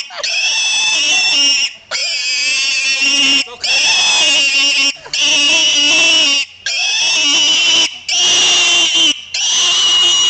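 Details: Buddy, a pig, gives ear-splitting squeals in drawn-out bursts of roughly one to one and a half seconds, separated by short pauses, the cries high, harsh and strongly tonal with wavering pitch.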